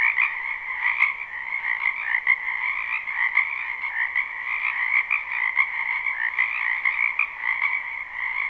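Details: Spring wetland frog chorus: numerous frogs croak together in a steady, buzzing wall of sound, with overlapping trills rising and falling in loudness and one brief click near the first second.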